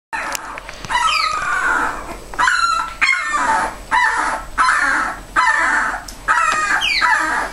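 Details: Bella, a mother dog, with her puppies. High, harmonic yelps and whines sweep downward in pitch, coming in bursts roughly every second with short gaps between them. No other clear sounds are present.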